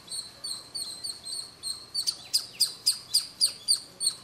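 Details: A squirrel sitting at a roof corner near Bangalore at Kolar Gold Fields, chirping at noon as it does daily, recorded on a camcorder. High, sharp chirps repeat about three to four times a second and grow louder and more emphatic halfway through.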